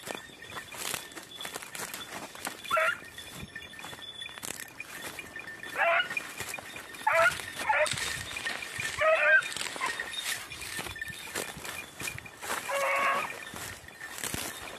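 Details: Beagles of red-blue tick and lemon-white colouring on hare-hunting practice on Crete, 2021, give strained, yelping bays in bursts, some drawn out over a second, with quieter stretches between and a steady high hum of insects outdoors.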